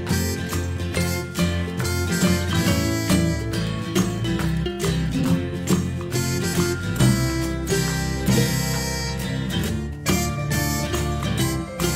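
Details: Country-style music with strummed acoustic guitar, steady beat and faint singing throughout, with no animal sounds.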